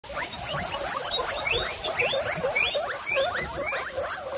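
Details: Guinea pigs, part of a household group of 29, excited over watermelon: many overlapping rising squeaky whistles, sweeping upward in quick succession about twice a second, forming a busy chorus over faint background hiss.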